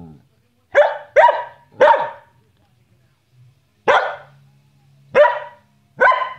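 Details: Playful Samoyed called Bonnie gives six sharp, bright barks in an uneven rhythm, three close together, then a gap, then three more spaced about a second apart, with a faint hum between them.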